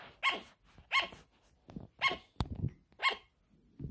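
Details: Sugar glider barking indoors: four bright yapping barks about one per second, mixed with a sharp click, some rustling handling sounds and a faint high whine near the end.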